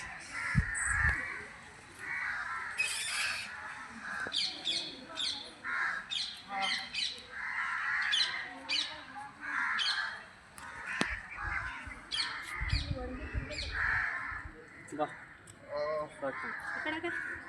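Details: Bats gathered in a temple compound, giving harsh, screechy squabbling calls in dense, overlapping bursts throughout, while a man speaks intermittently in Marathi over the din.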